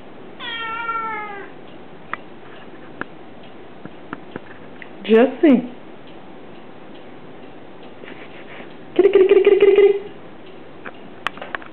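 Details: Jessie, a male Cornish Rex cat sitting on a dry sink, gives short, bending meows in reply to his name being called, with a person's voice nearby.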